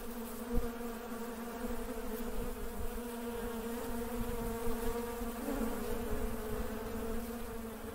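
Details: Honey bees at work, a steady, dense droning hum with stacked low tones around a deep pitch, faint clicks and knocks scattered through, the hum swelling slightly late on.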